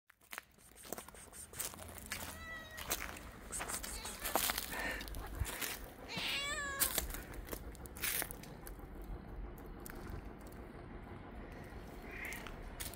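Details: Mother street cat meowing as she leads a person toward her hidden kittens, urging them to follow: a faint mew followed by a louder wavering meow, amid rustling, footsteps and outdoor noise.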